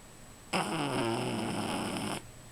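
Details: Rufus, a sleeping dog, lets out one drawn-out snore lasting under two seconds, a buzzy, raspy breath with a low rumbling core that rises slightly and then holds steady before stopping abruptly in a quiet room.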